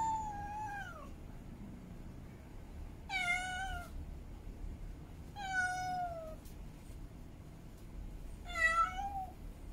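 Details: Female cat in heat calling to mate, giving four long meows spaced about two to three seconds apart, each wavering and dropping in pitch toward its end, with faint room hiss between calls.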